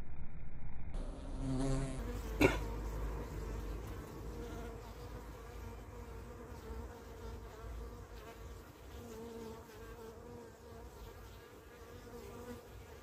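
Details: Honey bees, Apis mellifera carnica, around the hive as a hesitant queen returns from an orientation flight; low rumbling buzz of wings, fluctuating and slowly fading, with a sharp click near the start.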